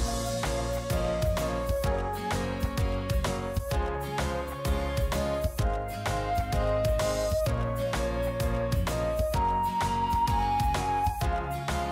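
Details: Gentle instrumental waltz with a plucked, guitar-like melody over a steady beat; no animal voices can be picked out.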